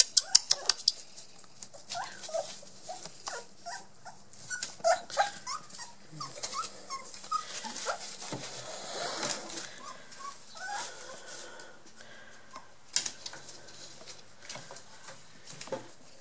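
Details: Two 23-day-old Border Collie puppies, one blue merle and one black and white, indoors, giving many short high whimpers and squeaks in quick irregular bursts, with a few louder yelps and faint rustling.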